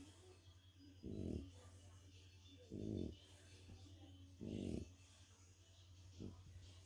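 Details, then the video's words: Tired French Bulldog napping after a walk, snoring in three long, low, rattling pulses about every one and a half seconds, then a short weaker one, over a constant low background hum. "French bulldog sleeping! Snoring frenchie taking a nap!"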